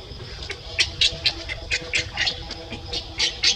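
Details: Monkeys Libby and baby Leo: a quick series of about ten short, bright, high-pitched squeaks over a few seconds, rising and falling in loudness, over a steady low background hum.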